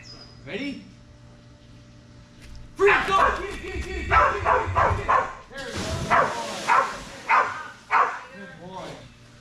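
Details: Belgian Malinois named Strider during Fetch-It (Air Retrieve) dock diving practice on 10.25.22; after a quiet start, a run of loud, sharp barks comes roughly every half second, with people talking in the background.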